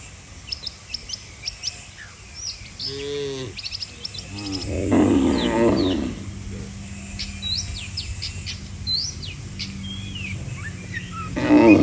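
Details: Cattle in a neat roadside line, calling as if to bring the herd home to the pen; several short, wavering moos in the first half and a final low call, under busy bird twittering.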